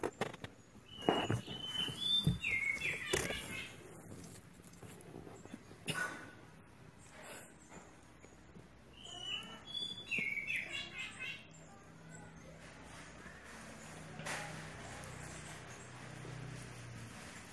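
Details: Pet kittens giving quick high squeaky mews in two bursts, a rapid run of short calls followed by a second run a few seconds later, with knocks and handling noises and a low hum behind.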